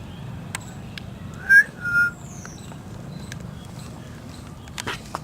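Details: Injured, lame cat found crying near a neighbour's door, crying from hunger rather than injury; two short, bright, bending cries in quick succession, one clipped and one slightly longer, over a low steady background hum with faint clicks.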